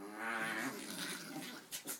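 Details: Two small pet dogs, Lunah and Sabra (6.5 and 13.5 pounds), wrestle and play-fight on a bed indoors while the cat Negev sleeps; a short droning growl with a harmonic whine, then soft scuffling thumps.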